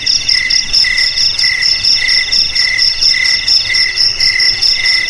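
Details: Cricket trilling, presented as a rat repellent for house and field; bright ringing chirps in rapid pulses, grouped into bursts roughly twice per second, unbroken and even throughout.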